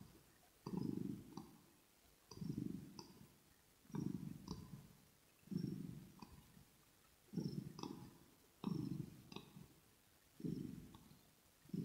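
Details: Relaxed kitten giving a throat purr for ear-to-ear ASMR, deep rolling bursts about every 1.6 seconds, paired faint clicks with each breath, calm quiet background.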